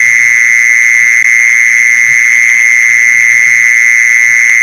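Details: Mole cricket sound for luring mole crickets: a sustained, monotonous high buzz running unbroken from start to end, a faint overtone above and soft low noises below.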